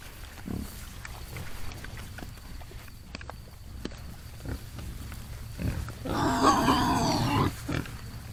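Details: Feral hogs in the morning: scattered deep grunts, then a loud, harsh, wavering squeal lasting about a second and a half before a few final grunts.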